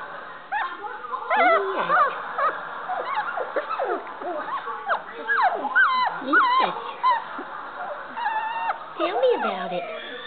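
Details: Several Standard Poodle puppies learning to play, giving rapid high squeaky yips and whines that sweep up and down, tumbling over one another almost without pause, with faint human voices in between.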